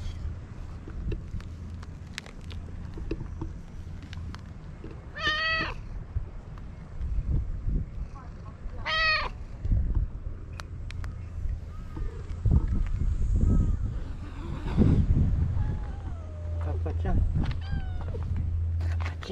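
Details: Stray white cat in Japan, living among the tetrapods of a breakwater, alongside another stray cat near anglers. Two loud, rich meows with strong harmonics around five and nine seconds, then thinner wavering calls, over human voices and a steady low engine rumble.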